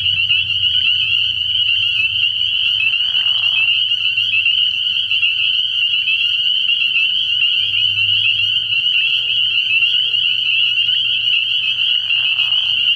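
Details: Early-year night chorus of spring peepers at a frog pond: countless high, piercing peeps fuse into one constant ringing tone. Brief lower croaky sounds and a faint deep hum sit beneath it.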